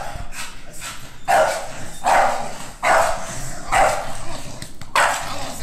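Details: Nine-month-old female American Bully Pocket in training as a protection dog, giving loud, deep single barks about once a second, each a short harsh burst with brief gaps between, over quiet background noise.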